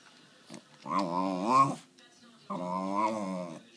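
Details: West Highland White Terrier, a pet male dog indoors asking for his treat, making two drawn-out, harmonic, wavering 'talking' moans, each about a second long, with a short pause between them in a small quiet room.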